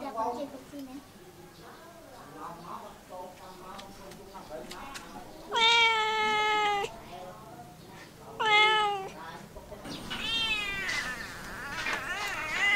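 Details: Soft murmuring sounds come first, then a domestic cat lets out two loud, long meows, the first over a second in length. Wavering, bending cries follow near the end.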